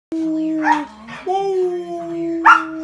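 Wolfdog pups howling together in long, steady, overlapping tones, with brief yips and grumbles.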